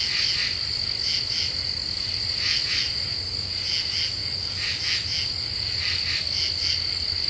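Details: Night chorus of common true katydids in deciduous forest, half moon overhead, singing after the cicadas fall silent; harsh rasping pulse groups recur roughly each second above a constant shrill insect drone.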